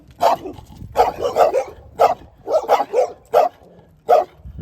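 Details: Dog barking in quick bursts: single sharp barks alternating with rapid runs of three, roughly a dozen barks in under five seconds.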